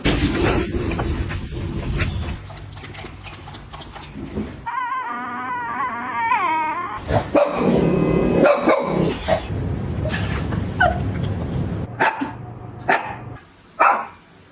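A Shih Tzu gives a run of high, quavering whines that rise and fall in pitch. Sharp yips and brief barks break in between, over low background rumble.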